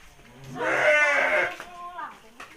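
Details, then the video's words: Sheep of the Garut breed at feeding time, fed by a village girl in rural Garut; a strong quavering bleat lasting under a second, followed by a softer short call, with faint human voices nearby. "gadis desa ngasih pakan domba"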